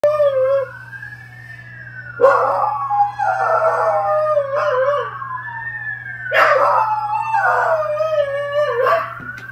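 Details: A corgi howls at passing sirens in long, wavering bursts that slide up and down in pitch, over a steady hum.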